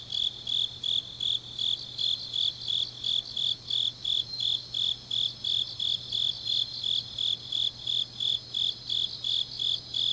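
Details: Grass insects singing late on an autumn night in Changnyeong, Gyeongnam: evenly spaced shrill chirps, close to three each second, sustained without pause, accompanied by a fainter higher trill and a low constant drone.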